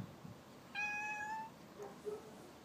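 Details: Resting house cat responding to its owner's talk with a single sustained, even meow of under a second, then faint quiet sounds in a still room.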